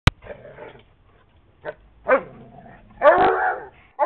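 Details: A dog barks loudly during a playdate with another dog, its best friend, on May 5, 2010. A sharp click opens, followed by scattered barks: a short one, then a longer, harsher bark near the end, with soft rumbling between.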